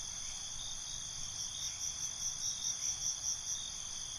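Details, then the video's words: Cricket chirping at night, an unbroken high buzzing trill with a short run of rapid pulses swelling near the end, and quiet low-frequency noise beneath. "Night ambience, Cricket Conversations"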